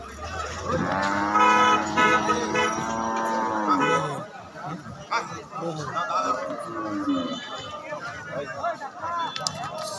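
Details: Cattle being unloaded from a truck at a dairy farm, jumping down. One long, harmonic-rich moo is held for about three seconds, followed by shuffling, clattering and people's voices.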